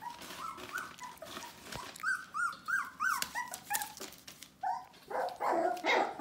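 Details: Litter of Bohemian Shepherd puppies, nearly four weeks old, whimpering indoors: many short rising-falling whines, several per second, overlapping from several pups, with some sharper yelps near the end.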